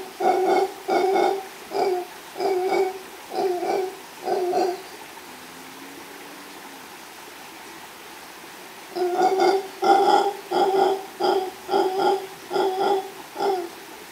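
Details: Male mantled howler monkey howling with a female nearby, recorded live by chance in Los Tuxtlas Biosphere Reserve, Veracruz, Mexico; two bursts of hoarse, rhythmic grunting roars, about six pulses each, separated by a quiet gap.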